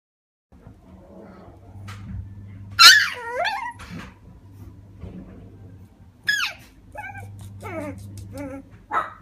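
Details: Male black Shiba Inu puppy, born 30 January 2015, kept in a pet shop, gives a long, falling whine near three seconds, then a quick run of short high yips and whimpers, ending in one sharp yelp over low indoor hum.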